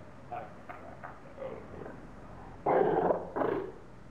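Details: Captive seals at Zoo Augsburg in Germany arguing: a few soft barks give way to two loud, harsh, drawn-out roaring cries in quick succession.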